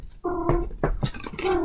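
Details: A male house cat, described by its owner as sounding nervous and worried though he often makes this noise and is fine, gives short, nasal, wavering calls broken by clattering noises indoors.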